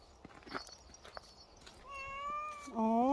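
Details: Domestic cat, called the ultimate dog-like cat, gives a long steady meow that swells louder and bends upward at the end, after a second of soft indistinct background noise.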